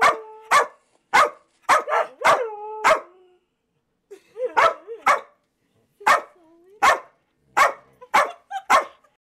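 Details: Samoyed howling while a recording of a white husky howling plays: bursts of sharp yelping barks in quick clusters, broken by a short pause, with drawn-out wavering howl tones between some barks.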